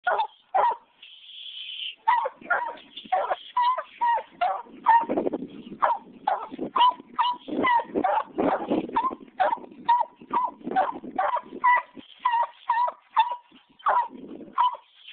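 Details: Walker Coonhound pup, 15 months old, treeing a caged raccoon. He gives a fast, steady string of loud, ringing barks, roughly two a second, with one drawn-out higher bawl near the start.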